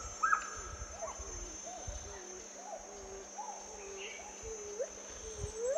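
Gibbons sing a series of hooting notes, some gliding upward, over a steady high insect drone.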